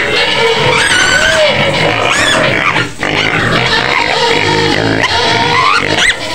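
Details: A white pig kept in a pen outside Medan squeals loudly for food, its rising and falling cries repeating over several seconds, with music playing underneath.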